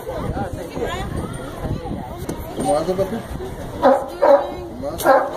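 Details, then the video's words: Sea lion at Brookfield Zoo in Chicago starting to bark: three loud, harsh, broadband barks in the last two seconds, spaced about half a second to a second apart, following steady murmur of visitors talking throughout. "Sea Lion Barking!"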